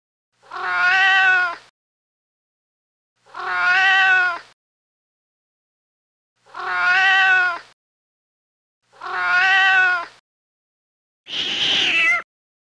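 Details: Kitten meowing on a farm alongside dogs, rabbits, cows and mice: five evenly spaced, nearly identical rich meows roughly every three seconds, the last one rougher and breathier, with silence between.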